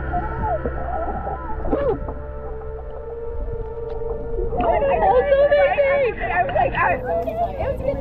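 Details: Humpback whales recorded underwater while swimming alongside them vocalize with wavering, tonal moans and squeals that rise and fall, sound felt as body vibrations surrounding the listener.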